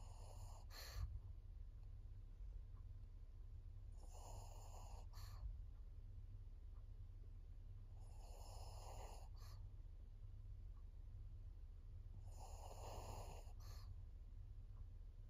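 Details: Senior fawn pug Maria, female and fourteen years old, kept as a pet in Japan, gives rhythmic rasping breaths, four snorty bursts spaced roughly four seconds apart, against a constant low background hum.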